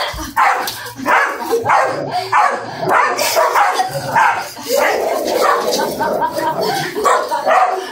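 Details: Italian Greyhound during a dog attack, filmed on an Android phone: sharp, noisy barks in quick irregular bursts, close together, overlapping with people talking throughout.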